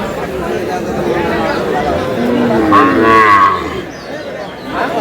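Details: Cow with calf at Aftabganj cattle market in Dinajpur, July 18, 2026: one drawn-out, arching moo rises and falls midway, set against steady crowd chatter and bargaining voices.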